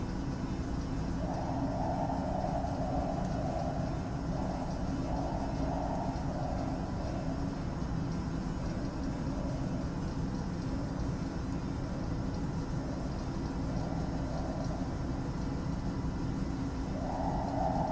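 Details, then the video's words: A male gibbon calls inside the Philadelphia Zoo's Primate Reserve building, giving a run of hooting, mid-pitched calls that echo over a steady low rumble. "Philadelphia Zoo Gibbon Male Calling"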